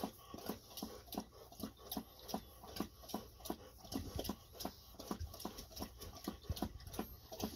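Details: Ibuki and Kohaku, Golden Retrievers, lapping water after a walk and before treats: a long, steady train of quick wet laps, about four each second, with no other sounds.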